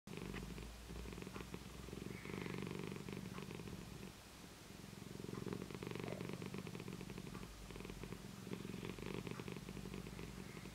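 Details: Siamese cat purring happily while its face is tickled indoors: a steady, low rumbling vibration with rapid pulses, continuous for the whole stretch, swelling slightly louder and softer as the cat breathes in and out.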